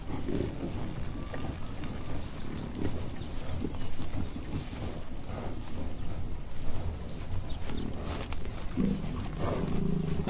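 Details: American bison. Low, guttural grunts and drawn-out bellows from an American bison roll through the whole stretch, rough and rumbling. Faint wind and outdoor noise sit beneath the calls.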